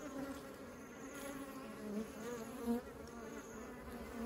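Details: Humming of honeybees bringing honey into their beehive, a continuous even drone with rich overtones and brief louder swells as individual bees fly near, around two and three seconds.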